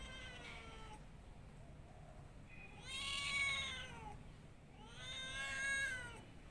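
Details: Domestic cat meowing: a faint drawn-out harmonic meow, then two loud, long, arching meows that rise and fall in pitch, each lasting over a second, over a steady low background hum.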